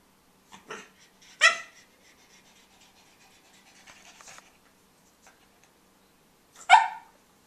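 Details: Pug puppy Tobey with his bone gives a sharp yip at about one and a half seconds and another near the end, with soft snuffling and quiet shuffling in between.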